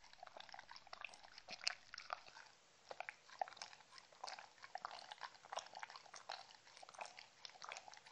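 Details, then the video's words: Close-up eating of treats by Mindy the Shetland Sheepdog indoors. Loud crunchy bites and moist smacking chews repeat in rapid irregular clusters, with one strong crack early on and no other sounds. "ASMR Drinking sounds Compilation Shetland Sheepdog"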